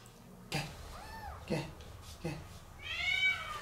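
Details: Rescued abandoned female calico (tortoiseshell) kitten in Tokyo, 15 days old with eyes not yet open, found wet in rain on a road; a brief arched thin meow, then a longer, louder rising-falling cry, amid knocks and a person's voice.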